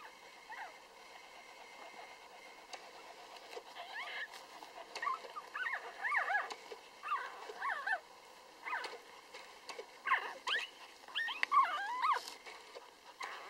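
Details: Three-day-old Lhasa Apso puppies give a steady stream of thin, high squeaks and whimpers, each quickly rising and falling in pitch. The calls overlap in bursts that grow busier toward the end, over a soft background hiss.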